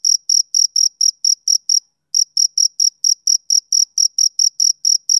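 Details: Summer-evening chirps of a male cricket: bright, high-pitched pulses at roughly four per second, a short pause near the two-second mark, then the regular rhythm resumes.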